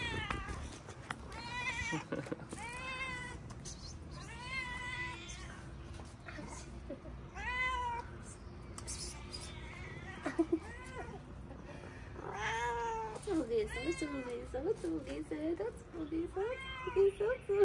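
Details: Several homeless street cats in Morocco approach a person who feeds them, tails up and happy to see people; repeated rising-falling meows overlap from many cats, with a man's voice calling and talking about food.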